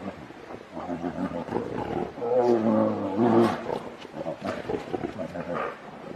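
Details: Two grizzly bears in an argument that quickly turns into a fight: harsh, rumbling growls and roars swelling and fading in bursts, loudest in the middle, with snorts between.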